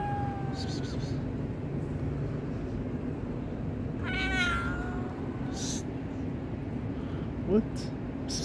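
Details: Stray cat meowing near a kitten that was attacked by a tabby cat: a short clear meow at the start, then a longer wavering meow with rich overtones midway, over a steady low rumble and brief rustles.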